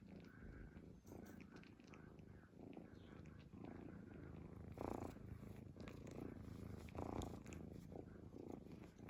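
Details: A sleeping cat snoring, a soft low rumble that swells and fades roughly every two seconds, with quiet steady background hum throughout.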